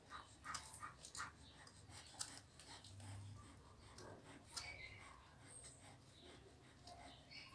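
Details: Newborn pit bull puppies on their second day of life give short, thin squeaks and whimpers, a few high-pitched and brief, among soft rustling, panting breaths and handling noises close to the microphone.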